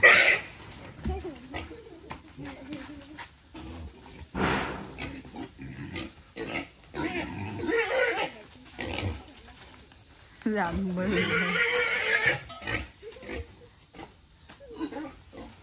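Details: Wild pig raised for 11 months, fed grass, vegetables and cold rice, being caught by a father and son to weigh for sale in Vietnam; loud harsh squeals in bursts, mixed with people talking and handling noise.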